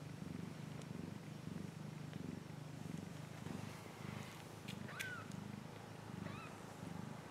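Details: A cat purring in a continuous low, rhythmic rumble with soft swells, while a couple of brief rising-and-falling chirps break in near the end over light clicking.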